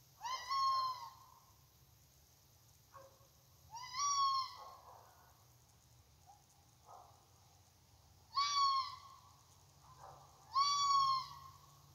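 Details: A red fox in a side yard at night calls persistently with harsh, strained, hoarse cries that rise slightly and fall away, each about a second long, every two to four seconds, over a faint low hum.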